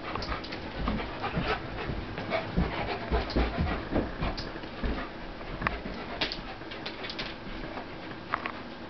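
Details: Pitbull Corona, about 75 pounds, play fights with Warlock, a German Shepherd near 150 pounds; rapid, irregular heavy panting pulses almost twice a second, mixed with thumps and brief scuffling noises.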